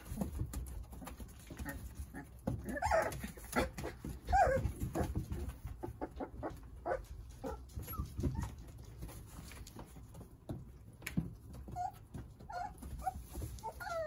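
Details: Nine Jindo puppies toddling and playing under the care of their mother Sarang, giving short, thin whimpers and squeaks scattered through the clip over constant shuffling, pattering and rustling.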